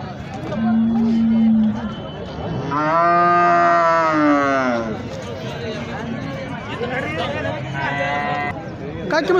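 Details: Holstein Friesian cows at a cattle market in Sangola, India: a long, loud harmonic moo rising then falling over about two seconds, preceded by a short steady low tone, with men bargaining over prices and milk yield in the background.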